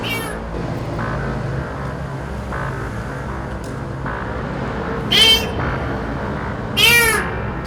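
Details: Kitten about two months old trapped underground in a roadside ditch passage, crying out in fear: two short, sharp, rising-falling meows about a second and a half apart over steady background noise and faint music.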